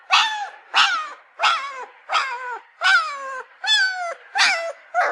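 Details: Puppy crying: eight high, harmonic whines in quick succession, each one sliding downward and lasting about half a second, with short quiet gaps between them.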